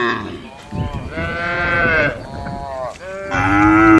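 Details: Domestic cattle lowing inside a barn as part of the daily farm routine: overlapping, strained, harmonic moos with rising and falling pitch, fairly continuous over four seconds, growing louder toward the end.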